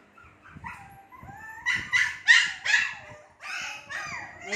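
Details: Two-month-old Shih Tzu puppies whimper and yelp in high, whiny bursts that rise and fall in quick succession.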